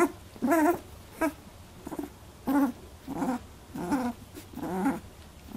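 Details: Eighteen-day-old Labradoodle puppies squabbling over milk for the first time give about seven wobbly, quavering whines in separate bursts, some with a scratchy edge.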